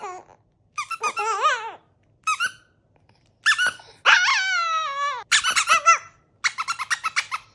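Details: Chihuahua vocalising indoors, mostly quick squeaky yips and warbling whines with one sustained downward-sliding howl of about a second in the middle, then rapid chattering yelps.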